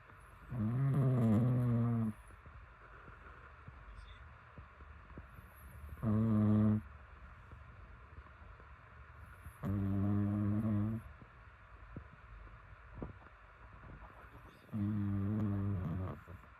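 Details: Pet dog asleep and snoring contentedly: four buzzy, rumbling snores with low droning tones, each lasting about one to one and a half seconds and coming every four to five seconds, separated by quiet breathing pauses.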